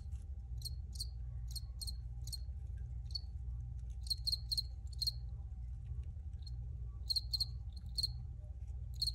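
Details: Cricket chirping in clustered high trills, several quick pulses grouped together with short pauses between, over a continuous low background hum.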